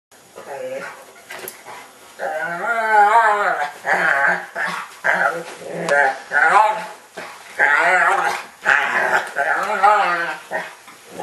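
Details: Dog trying to get his football, whining in a weird way said to sound exactly like Chewbacca: a run of wavering, groaning harmonic whines in uneven bursts of one to two seconds, indoors.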